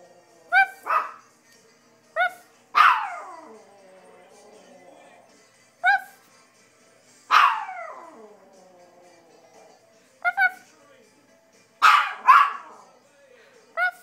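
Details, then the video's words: Toy Maltese dog in a barking exchange with its owner: sharp, bright single or double barks every few seconds, answered by the owner's imitated barks, tonal and voiced, in the quiet pauses between. "bark off with a toy maltese"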